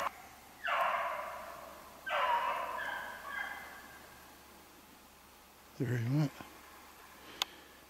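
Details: Beagles running a snowshoe hare on a hunt, 3/8/16: two drawn-out, harmonic baying cries about a second apart, then a short human voice and a sharp click amid quiet outdoor background.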